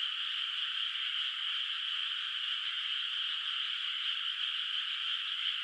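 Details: Far-off frogs in a moonlit rice field at night, the paddy still unplanted; countless voices merge into a continuous shimmering trill that holds level throughout, with no gaps or other noises.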